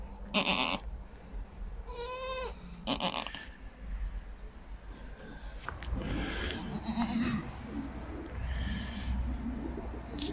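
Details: Goats at a homestead after a first-time mother gave birth to a male kid; three clear, wavering nasal bleats in the first three seconds, then softer rustling, handling noise and faint background calls.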